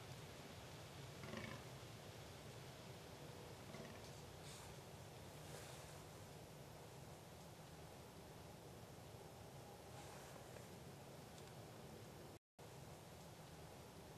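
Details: A fallow deer buck gives deep, rough groans during the rut in a quiet forest, around early November 2012, in the dim light of dawn or dusk.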